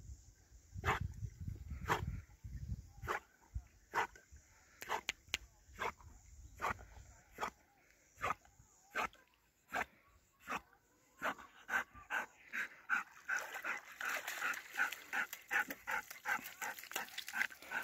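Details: Nine-year-old Golden Retriever Ljubica fetching a wooden stick; rhythmic, airy panting bursts about once a second, quickening toward the end as softer rustling and a voice calling her name join in.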